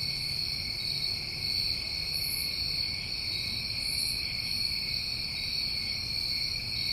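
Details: New England crickets on a summer night keep up an unbroken, shrill trill in layered high bands, unchanging throughout, with a quiet low hum underneath and two faint airy bursts at the top.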